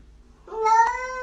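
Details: Domestic cat giving a single short meow that rises and then holds steady, with a clear tone and strong harmonics, while a person talks to it nearby.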